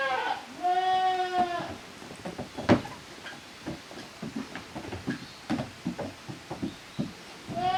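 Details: Goat kids from two families, Koharu's and Okayu's, at play on Yoshigake's handmade goat farm, Japan, 13 June 2023. One drawn-out, wavering bleat early on, then steady hoof taps and clatter, with another bleat starting at the close.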